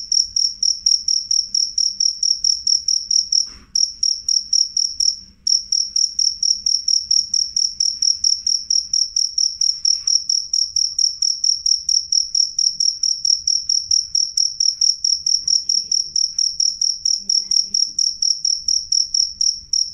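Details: A cricket sings a loud, clear, high-pitched trill of rapid pulses that runs almost without pause.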